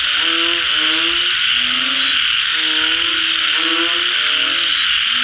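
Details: Frogs calling in nature after rain: low, tonal moaning notes that slide slightly in pitch, several overlapping in steady sequence, over a loud, constant high-pitched insect chorus.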